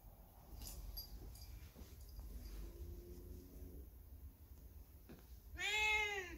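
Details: Lone factory cat, left behind when its companion dogs were taken away by truck, on a cold, windy day; after soft rustling and a faint low tone, one loud, drawn-out arching meow sounds near the end.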